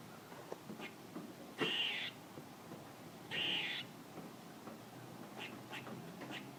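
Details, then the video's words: Squirrel calling: two loud, rasping, high bursts of about half a second, under two seconds apart, with faint scattered clicks and ticks before and after. "A squirrel making noises"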